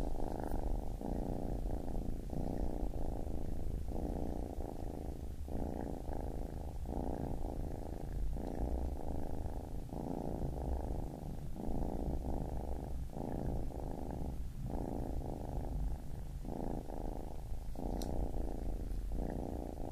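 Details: A baby kitten purrs for twenty seconds, a deep even rumble pulsing in bursts of around a second, each cut by a quick pause for breath, steady in loudness with a faint tick near the end.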